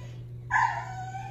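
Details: A pet dog "talking" to its owner about plants gives a short, tuneful whine that rises and falls, a single vocal sound under one second long over a steady low hum.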